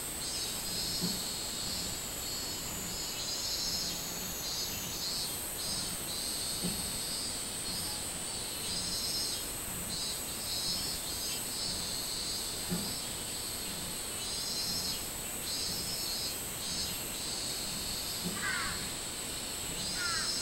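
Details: Long stretch of minmin cicada song from 24 July 2016 in summer: wavering high buzzy pulses repeating over a steady shrill drone, with a short bird call near the close.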